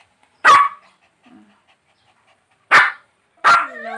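Small dogs, a Pomeranian and a Shih Tzu, give sharp, high-pitched barks with short pauses between them.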